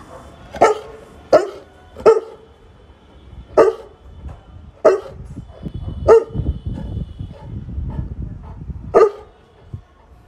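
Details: Saint Bernard dog barking in reaction to a heard noise: eight loud, deep single barks, the first several about a second apart, then longer pauses before a last bark near the end, with low rumbling background between.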